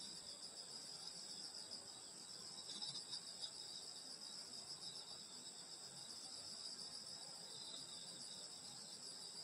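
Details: Insects in grass on a summer night in the countryside at a grandmother's house: a dense, steady high shimmering trill in several layered bands that never stops, with soft low rustling underneath.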